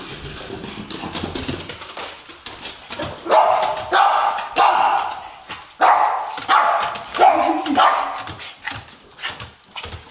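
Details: A Pekingese dog wanting to go to sleep, making a series of short whining, whimpering vocalisations in bursts, each rising and falling, with some speech-like sounds and faint rustling between them.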